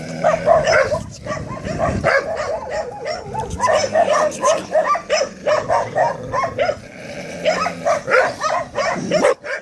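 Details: Staffordshire Terriers giving a dense run of loud, overlapping barks and yips, several each second, with a few quieter gaps.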